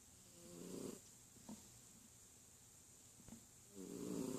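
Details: Sleepy domestic cat snoring indoors: two soft, rough, low breaths, one near the start and one at the end, separated by quiet with a couple of faint clicks.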